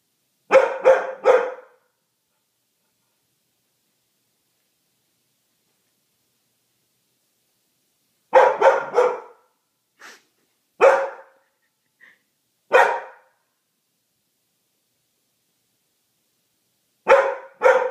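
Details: Poodle barking out of fear of Christmas decorations indoors; bursts of three to four sharp barks separated by long silences, with single isolated barks in between.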